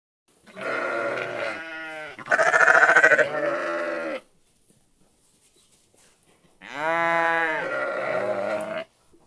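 A sheep gives two long, wavering bleats separated by a pause.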